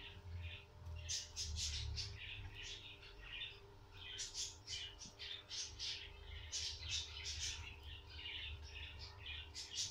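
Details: Guinea pig at a birth, with rapid bursts of high, thin squeaks in quick irregular runs, some grouped in pairs and triples, over a steady low indoor hum.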